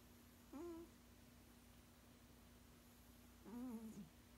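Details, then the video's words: A sleeping male cat aged sixteen hums out two snores, a short level one and then a longer, wavering, slightly falling one about three seconds later. A steady low hum fills the background. "Does your kitty snore??"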